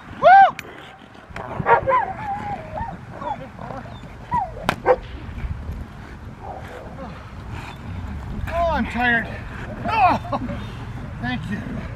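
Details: Rottweiler working in schutzhund protection training: loud arched barks at the start, more barking spaced through the middle and a cluster of repeated barks near the end, with people talking in the background.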